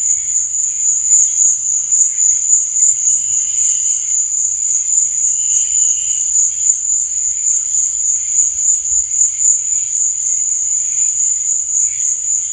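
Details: Cricket chirping after dark: a continuous thin, high, shimmering trill dominates, joined by brief quieter mid-pitched chirps around the middle.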